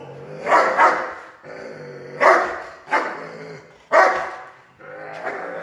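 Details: Aggressive Doberman in protection work barking in heavy, rasping bursts, two or three barks at a time with short pauses, each bark trailing into a guttural growl.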